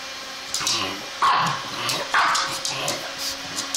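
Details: A pug reacting to a zipper gives two loud, clipped barks about a second apart, with quieter huffs and snorts leading in and trailing off, and scattered high raspy noises in the background.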